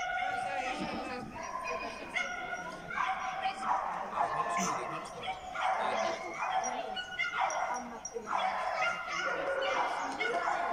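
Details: Small German Spitz (Kleinspitz) barking at a class C agility trial on 1 December 2019: high, harmonic yapping barks in short bursts every one to two seconds, some strung into quick runs, with people talking in the background.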